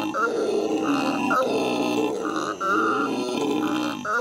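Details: Howling by howler monkeys kept at the L.A. Zoo, recorded May 2014. Harsh, hoarse roaring runs steadily in grating pulses, with one brief dip partway through.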